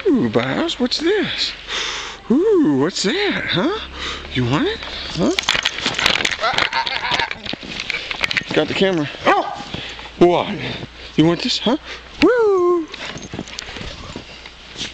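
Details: Bowser, a Boxer playing outdoors in snow, barks because he wants to wrestle more: repeated arching, harmonic barks and yelping cries rising then falling, spaced irregularly, with a person talking throughout.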